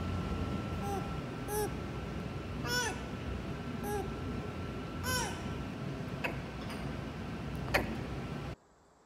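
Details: Lemur vocalizing, one of a lemur species' range of calls. A series of arched, harmonic, mewing notes repeats roughly every second, mixed with short sharp clicks against steady background hiss.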